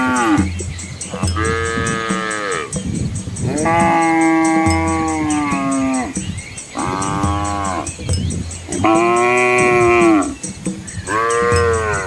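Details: Dozens of cattle and calves moving peacefully down a rural Asian road amid lush rice paddies; five loud, long, resonant moos, the longest nearly two seconds and gently falling, separated by short gaps, over a low hum.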